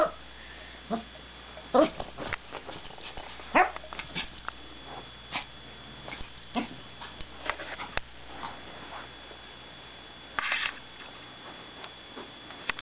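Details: Izzy, a pet dog, making barks, growls and assorted funny noises indoors: short irregular bursts scattered through the recording, a loud cluster near the middle and another late, over a steady low hum.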